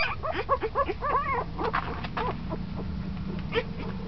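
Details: Puppy ten days old, newly active and moving about, whimpering in a short run of arched, wavering whines that rise and dip in pitch, then trail off into softer squeaks against a faint low hum.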